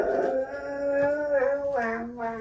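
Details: Husky howling indoors: one loud, sustained tonal howl with rich harmonics, holding a steady pitch and wavering slightly before sliding lower and breaking into shorter falling notes at the end.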